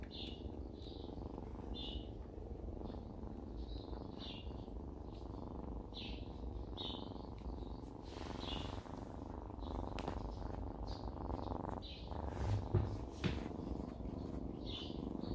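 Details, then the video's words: Jisuni, a rural mother cat, purring her happy 'purring song'. The purr is a steady, low, rumbling pulse throughout, and small birds chirp overhead in short bursts every second or so. "엄마고양이의 골골송"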